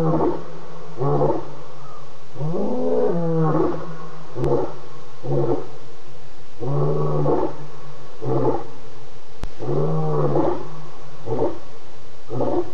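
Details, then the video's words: Lion roaring at night at 4:45 a.m. on August 30 near a pan after moving quickly past it; deep harmonic moans build into a series of short, pulsing grunts, several bursts repeated roughly every second over a steady low hum. "A lion moves quickly past the pan and then ROARS begin"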